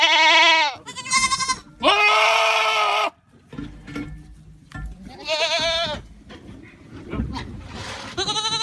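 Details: Goat screaming in rapid, loud, harsh bleats, some long and steady, others wavering, over busy background noise with softer mixed sounds between the cries.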